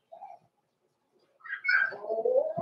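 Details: Cavalier King Charles Spaniel puppy, blenheim, from a small litter born November 14, 2022, kept in an indoor puppy pen at Christmas; a brief soft whimper, then a loud rising squealing yelp that drops into a drawn-out whine.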